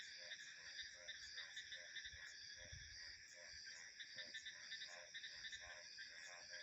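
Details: A frog chorus gives short, buzzy pulsed croaks at a steady pace of roughly two a second, set against constant high insect trilling and low rumbles of wind.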